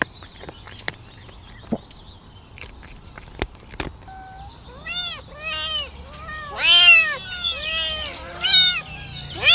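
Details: Kittens calling for their mother's milk: after a few seconds of quiet clicks and taps, a run of thin, arched mews starts and grows louder and more insistent, several voices overlapping toward the end.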